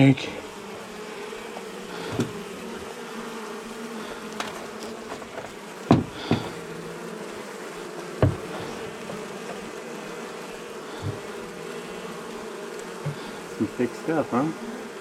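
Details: Honey bee colony living for years inside the wall of a house, agitated after dark during a rescue cutout on March 6: a steady low droning hum throughout, broken by sharp knocks and clicks of work.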